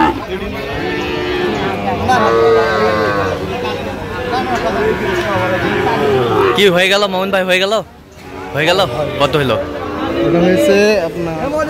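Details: Sahiwal bull calves at a cattle market where a Dhaka farmer is buying, 3 October 2025; long, low, drawn-out lowing through the first six seconds, overlapped by men's bargaining talk and busy market crowd noise.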